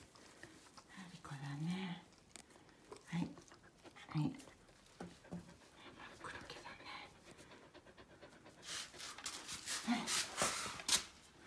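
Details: Two Akita dogs, a brindle female aged two years four months and a red one aged one year five months, waiting their turn to enter the house after a walk; rapid breathy panting bursts dominate the second half, with soft human voices earlier.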